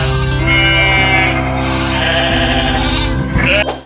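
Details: Sheep bleating, played as the answer to a farm-animal quiz question: long wavering nasal bleats, one drawn-out cry then a second rising one near the end, over steady background music with a plodding bass line.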